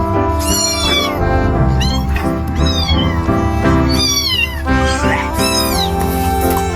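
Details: Constant meowing from three newborn kittens left in a dumpster: shrill, bending cries repeated about every second, one caller after another, against a bed of music.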